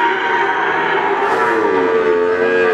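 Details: Cattle at the Wagenan cattle market in Pati, Indonesia: a drawn-out, slightly wavering moo slides gently downward late on, over the steady din of other lowing animals and market noise.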